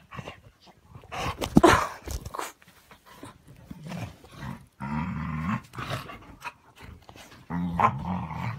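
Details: Dogs saying good morning to one another with a rough mix of growls, snarling barks and low rumbling vocalisations, several drawn-out growly moans repeated near the end.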